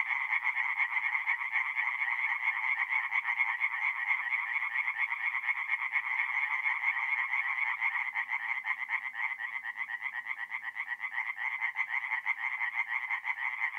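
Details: Night chorus of tree frogs at a forest pond in north-east Italy, mid-April: many voices merge into an unbroken, rapidly pulsing rattle, the loud nasal trill steady across the whole stretch with no other sounds standing out.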